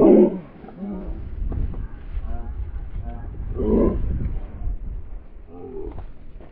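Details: Beagle dog barking: a loud, tonal bark at the very start and another near four seconds, with fainter throaty yelps and murmuring sounds in between.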